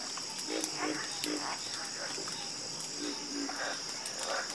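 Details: Frogs croaking in a calming night chorus: short repeated low croaks and pulsed notes from several callers overlapping, over a steady high insect-like hiss.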